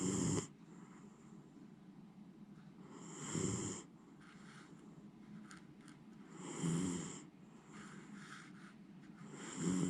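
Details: Fast asleep and snoring grandly, Miniature Schnauzer Jiji. Four steady, rumbling snores recur about every three seconds, each with a hissing rush of breath, and quiet pauses between them.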